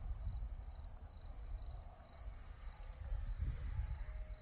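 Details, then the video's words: Crickets in a Crimean meadow of red poppies, a high thin chirping trill pulsing in quick regular bursts, over a low rumble of wind and faint distant background noise. "Алые маки и сверчки"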